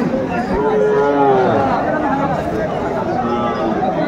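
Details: At Joypurhat's Aftabganj market in Bangladesh, which meets on Saturdays and Tuesdays, Sahiwal bull calves are traded on 17 August 2024; one mid-pitched moo lasting about a second rises over steady crowd noise and nearby voices.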